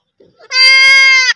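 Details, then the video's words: Baby goat kid giving a single loud, steady bleat lasting under a second, held at an even pitch with a rich stack of harmonics and a slight drop at the end, preceded by faint soft sounds. "Baby goat making the cutest noise"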